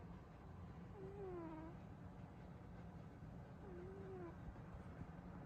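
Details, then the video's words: Burrito, a sleeping female cat, makes soft whistled snores. Two faint, gently falling tones come about three seconds apart against a low continuous hum. "Burrito’s loud snoring"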